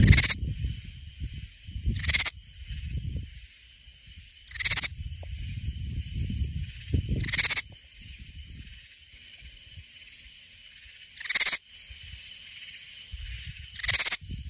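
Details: Katydid singing in Hill Country near San Antonio, Texas: short harsh raspy bursts roughly every two to four seconds over a steady high insect drone, with low rumbling background noise between bursts.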